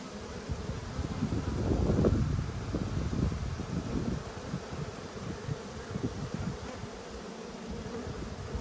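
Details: Honey bees humming at an open hive during an inspection recorded 19/3/22: a dense, steady low buzz with irregular rises in loudness, swelling around the second second, with faint rustling and no voices.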